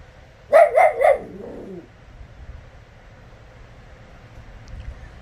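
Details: A four-year-old female West Highland White Terrier throwing a tantrum indoors after her torn favourite toy is put out of reach: three quick harsh yapping barks trailing into a grumbling whine, then a woman's voice.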